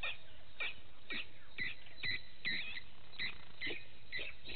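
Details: Vervet monkeys at the Gowrie dam waterhole, Sabi Sand Wildtuin, South Africa, in the morning; quick harsh chirping barks, about two per second, some with downward-sweeping tails, above a low rumble.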